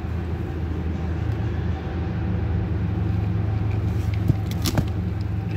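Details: Low engine rumble and road traffic dominate, with faint voices and a few sharp knocks toward the end, and no animal sounds.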